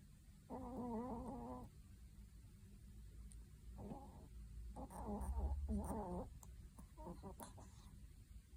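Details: Pomeranian, formerly a rescue dog, snoring while asleep indoors: soft wavering, whistling snores in uneven bursts of about a second each, some breaths shorter and choppier, recorded quietly with low background hum.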